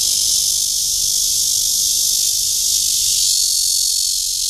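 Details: Cryptotympana holsti cicada courting in Guangming Park, Yuanhua Road, Zhongli, Taiwan; an even, piercing high buzz continues without pause across the whole stretch.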